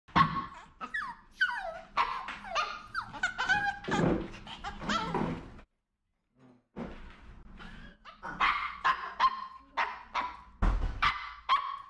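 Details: Maltese dogs at a dog cafe; a run of short high yaps and whiny barks with sliding pitch, a brief silent gap midway, then more rapid barking, with room noise beneath.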